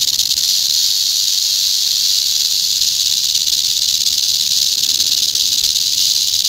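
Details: An eastern diamondback rattlesnake, venomous, buzzes its tail rattle in a continuous dry high hiss, even and unbroken across several seconds, loud and close with nothing else audible.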